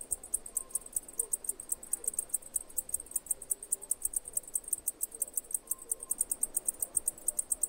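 A cicada gives a high, dry pulsing buzz, about six beats a second, steady throughout.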